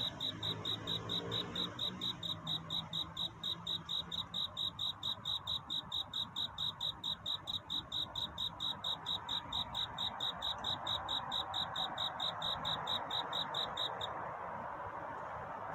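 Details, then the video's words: Night courtship song of a cricket seeking love, rapid bright chirps pulsing at an even rate for about fourteen seconds before stopping abruptly, leaving only faint ambient hiss. "귀뚜라미 울음소리. 슬퍼 말아요 우는 것이 아니라 사랑을 찾는 노래랍니다 구애의 밤"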